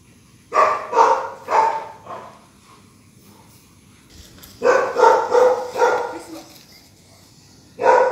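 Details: Rottweiler on a night walk with its owners, barking in two bursts: four short harmonic barks, a pause of about two seconds, then a faster run of five or six barks.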